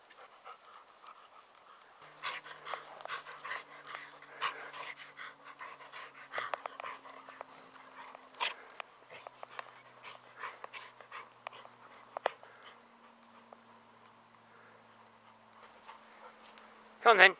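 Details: Elderly male chocolate Labrador Retriever rolling contentedly in clover in summer, breathing in rapid rough pants, with faint low humming and a loud rustling burst at the end.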